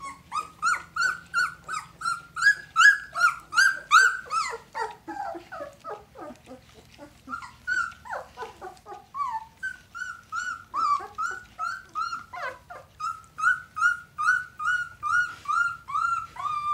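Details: Two-week-old red Standard Poodle puppies from one litter squeal and whimper continuously, a steady run of short rising-then-falling cries roughly two or three per second, several pups overlapping, a woman speaking faintly nearby.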